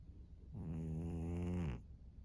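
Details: Snore from Maria, a senior fawn female pug aged thirteen, recorded in Japan on March 3, 2024: one steady, droning, nasal breath of just over a second in a quiet room.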